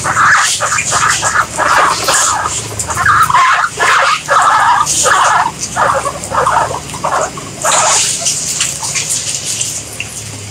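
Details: Guinea pigs squeaking in a series of short, harsh bursts, roughly one every second or so, each a brief rasping squeak; a steady hiss and rumble of background noise runs underneath throughout.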